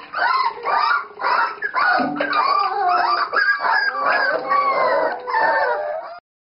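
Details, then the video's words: Wavering howls and yelps from a Dachshund puppy being bathed, short rising-and-falling cries repeated about twice a second, music softly in the background. "tachskrieger puppy bath"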